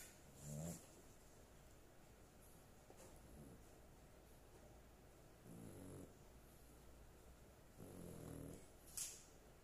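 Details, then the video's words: Sleeping dog giving a few low, buzzy snores spaced irregularly through a quiet room, with faint ticks and a short sharp click near the end. "My dog snoring"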